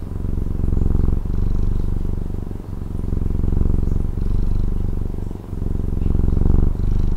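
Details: Deep, steady purr from a cat in Taiwan, a soft rattling rumble that gently rises and falls with each breath, about every one to one and a half seconds, with no other sounds.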